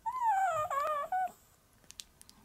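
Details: A white female Pomeranian born in July 2015 answers her owner with a drawn-out, tonal whine that dips and then rises, lasting just over a second, followed by a brief pause and a shorter clipped whine, then soft clicks in a quiet room.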